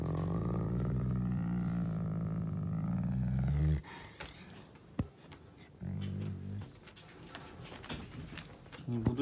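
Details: Canadian wolf on 16 April, showing his dominant temper: a deep wavering growl for nearly four seconds, then a man speaking Russian, with a second shorter growl and a last brief one between his words.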